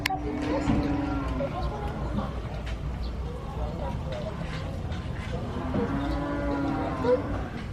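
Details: Cow. Two drawn-out, deep moos from a cow, each about a second and a half long, with a rich, droning tone that swells and falls. A constant rumble and some faint voices sit underneath.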